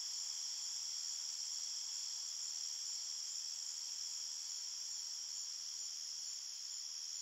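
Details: An even, high-pitched drone of crickets chirping in a forest at night, the trill running without break, slightly softer toward the end, with no other sounds.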